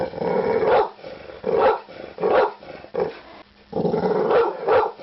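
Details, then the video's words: Deep, hoarse barks from a pit bull, five loud bursts spaced about a second apart, with a brief quieter pause before the last pair. "Pitbull barking"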